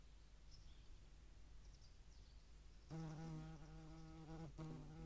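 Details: At a feeding site in Dohr, Eifel, on 11 July 2022, a European hornet among median wasps gives a deep, rich buzz that starts abruptly after near-silence and hums on for two seconds with a brief break.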